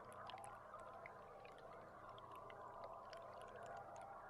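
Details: Belugas picked up by an underwater boat camera on July 16: dense scattered clicks and faint thin whistles over a steady hiss of water and a low engine hum.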